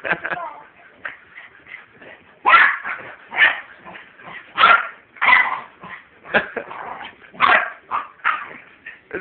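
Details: Puppy at play with a husky: irregular high yips, whines and short barks come in bursts every second or two over ongoing human chatter.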